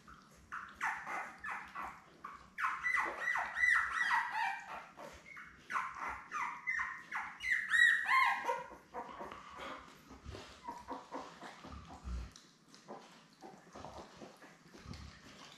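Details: Newborn Labrador Retriever puppies from a litter of seven born May 24, 2021, with their mother Belle, on a live puppy cam on 3 June: rapid, overlapping high squeaks and whines, many rising then falling, in busy bursts, quieter scuffling towards the end.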